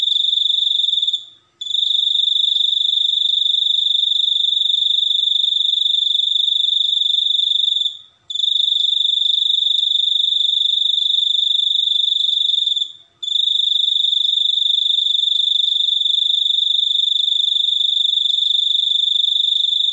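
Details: A cricket produces a steady, very high, pure-toned trill. The trill runs without pause for about five to six seconds at a time, broken by brief silent gaps. No other sounds are present.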